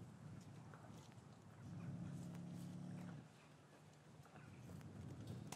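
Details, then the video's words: Lowing from cattle in a traditional English farm yard on a winter's afternoon after the calves were taken from their mothers: a steady, deep, droning moo lasting about a second and a half mid-clip, surrounded by shuffling and yard clatter. "Cattle Yard - One Hour Ambient Sound"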